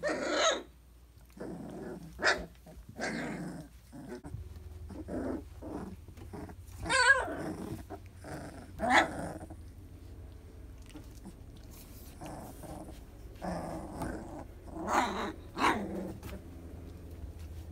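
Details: Young Briard litter at three weeks old: repeated gruff growling bursts alternate with squeaky yelps and a wavering whine, irregular spacing, loud peaks then calmer stretches, indoor room hum.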